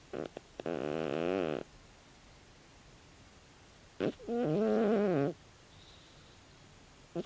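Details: Tabi, a 16-year-old calico cat, sleeping and snoring loudly indoors: two drawn-out buzzy, harmonic-rich snores about a second each, the second wavering in pitch, separated by a quiet pause with a few soft clicks.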